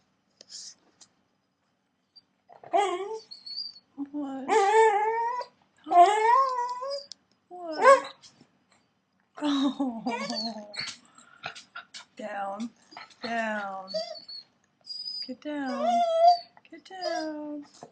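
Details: Corgi 'talking' indoors while begging for chicken parmesan: a series of whiny, yowling vocal sweeps that rise and fall, in bursts separated by short pauses over about eighteen seconds.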